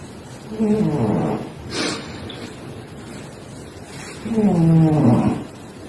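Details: Domestic cat snoring: two throaty snores, each about a second long with a low layered buzz, about three and a half seconds apart. A soft click falls between them against quiet room hiss.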